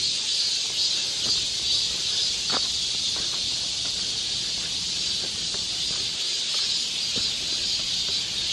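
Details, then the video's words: Steady, unbroken high buzzing of many cicadas singing together on a summer forest walk in Galsan Park, Seoul, with faint soft knocks and rustles underneath. "여름 자연의 소리. 매미울음소리."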